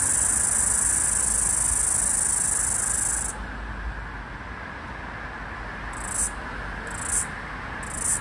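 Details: Last floury baker cicada of an Australian summer, 2022/2023, by a busy street and attempting to sync with a second cicada: a long unbroken shrill buzz for about three seconds stops, then three short pulsed buzzes follow, all over traffic hum.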